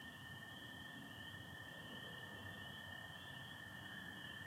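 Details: Spring peepers and American toads calling together at night in Michigan in spring. The peepers blend into one piercing high drone, layered above a continuous lower toad trill, with no pauses throughout.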